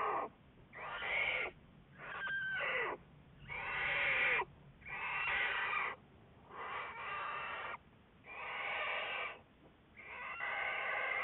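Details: American black bear Juliet, recorded February 10, 2014 for Wildlife Research Institute research, gives a steady run of raspy, wheezing calls, roughly one every second and a half, each burst coarse and full with a brief whistly slide early on.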